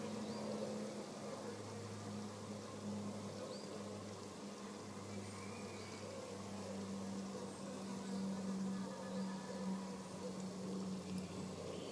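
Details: Steady engine-like hum and broad hissing background noise fill the recording, with no animal voice standing out.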